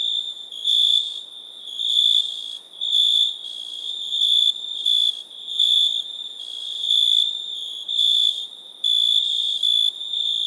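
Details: Shrill cricket chirping: an unbroken high trill overlaid with repeated louder bursts, a little under one per second, several crickets calling together.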